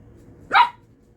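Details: A corgi puppy playing with a hairbrush lets out a single short, high, sharp bark indoors.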